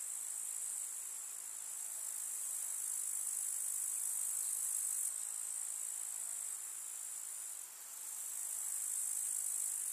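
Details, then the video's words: Grasshoppers of a summer village meadow keep up an unbroken, thin, high-pitched trill, swelling and fading slightly in loudness with a brief dip near the end. "КУЗНЕЧИКИ. Слушать звуки летнего луга"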